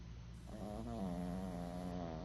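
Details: Tiny senior rescue dog Goosie, a female now fostered after being abandoned roadside, snoring while asleep: one drawn-out nasal, whistling snore with a slightly wavering pitch over a constant low indoor hum.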